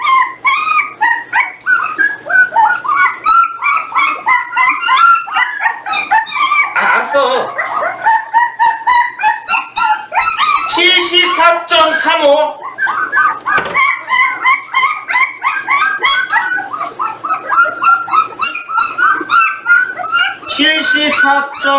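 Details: Jindo dogs from a litter weighed at eighteen days old: a long run of overlapping high, wavering whimpers and squeals, rising and falling rapidly, with brief human voices mixed in now and then.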